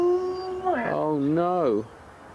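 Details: Husky at a sled dog race weekend in the Forest of Dean, November 2001, taped on VHS: a drawn-out tonal howl, steady at first, then dipping and rising in a wavering glide before stopping abruptly after nearly two seconds.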